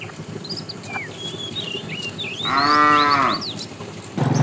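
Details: Tame cows walking on a long journey to fresh pasture; a single moo of about one second, slightly rising then falling, stands out over quiet background noise and scattered bird whistles.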